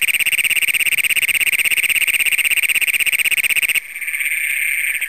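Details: Great Plains toad at night in Brown County, Minnesota, June 27, 2010, among the county's first documented, recorded with a Canon PowerShot SX100: a very loud, rapid, metallic pulsed trill that stops abruptly near four seconds, leaving a softer background chorus.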